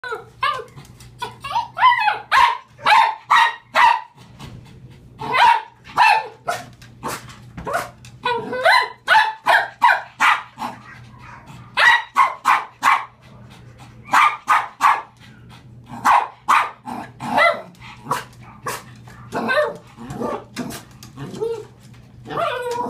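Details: Dog barking in reaction to a picture of a cat: loud, sharp barks in irregular volleys of two to five, filling the whole recording with only brief pauses between bursts.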